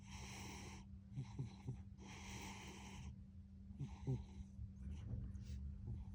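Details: A domestic cat snoring loudly through an afternoon nap: rough, rasping breath bursts about every one to two seconds, some long and noisy, others shorter with faint snorts, over a steady low indoor hum.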